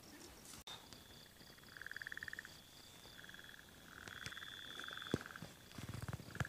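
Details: Burrowing frogs calling to each other after recent rains filled dams and egg-laying began. Short pulsed, rattling trills, each about half a second, repeat several times over a steady high insect whine and soft ticking insects.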